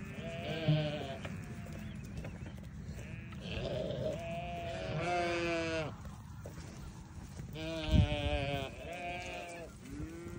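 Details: Newborn lambs give wavering bleats, some high and thin, others lower, spaced a second or two apart, with a strong low rumble of background noise and a brief knock midway.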